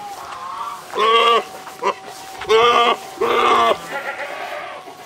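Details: Saanen goats, including big old males, meeting at a farm; several loud harmonic bleats of about half a second each, spaced irregularly, with a steady faint hum and quiet background voices between calls.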